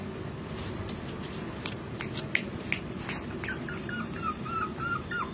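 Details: Pomeranian puppies, male and female, give thin, high whimpers and short yips over a steady low background hum.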